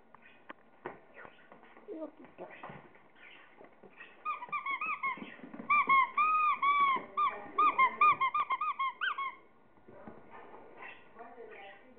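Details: Chihuahua during play with toys lets out a string of high, bending whines and yelps, rising and falling quickly, amid a person's voice and handling noises.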